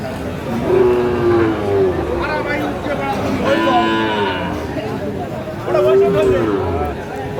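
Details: Sahiwal breed bull calves bought by a farmer at a cattle sale in Sylhet on 24 December 2024. Several lowing moos, steady and harmonic, come at intervals over busy market chatter, with men calling out bids.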